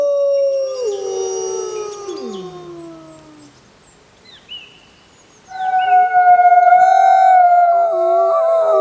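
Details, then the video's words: Wolves howling together: overlapping tones fade out as one voice slides low, a quiet gap follows, then a fresh chorus of steady, sustained howls breaks in. "WOLF SOUNDS! What is the sound of wolf?"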